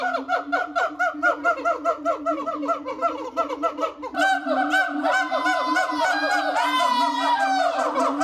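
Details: Captive siamangs at Japan Monkey Centre, Inuyama, Aichi, in winter (22 Dec 2025) call in a loud chorus of rapid barking hoots and rising whooping screams, inflating throat sacs; repeated short shouts claim territory.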